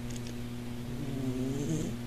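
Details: Mother cat purring while sleeping hugged together with her three young kittens indoors, eyes open; a steady low continuous rumbling hum with no breaks, and faint brief high squeaks near the start.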